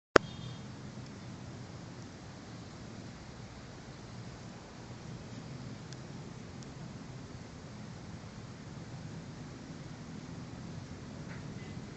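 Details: Quiet indoor room noise with a low hum and a single click at the start, and no animal sound is heard.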